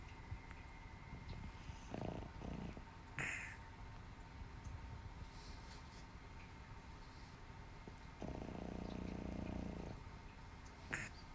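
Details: Boston Terrier, a flat-nosed breed, snoring in its sleep. Soft rasping breath noises come as a short burst early on and a longer droning rasp later, with a few faint clicks between them.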